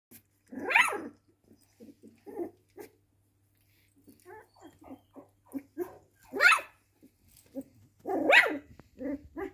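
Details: A pet dog barking indoors: three sharp, loud barks spaced about two to three seconds apart, with softer short yips and grumbling between them.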